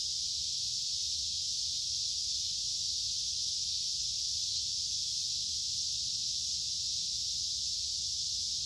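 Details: Cicadas in summer producing a dense, sustained high buzz with no pauses or rhythm changes, and a quiet low-frequency rumble in the background.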